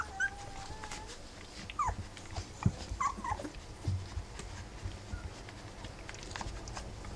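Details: Rough Collie puppies, three weeks old, with mother Wallis: a few thin, brief whining squeaks, some falling in pitch, scattered over a steady low background rumble.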